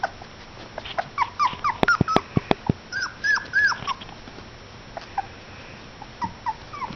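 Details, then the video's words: Border Collie puppies playing together, giving high, bent yips and short whining squeals in clustered bursts, several sharp clicks or knocks mid-way, then scattered quieter yelps toward the end. "Border Collie Puppies Playing"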